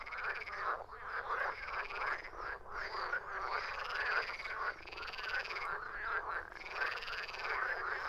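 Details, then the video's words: Numerous frogs calling in a steady, buzzing, raspy chorus, individual croaks blurring into pulsed waves with occasional short lulls. "Frogs croaking"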